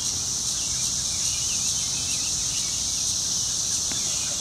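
Periodical cicadas give a steady, high, hissing drone that holds unbroken throughout, calling to attract mates.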